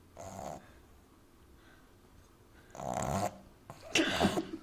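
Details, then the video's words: French Bulldog puppy Amy, sleeping in arms, gives a short rough snore, then after a pause a louder snort followed by a sharper choking snuffle as she half-chokes on her snoring. "Französische Bulldogge Amy Welpe Schnarcht übertrieben laut lustig"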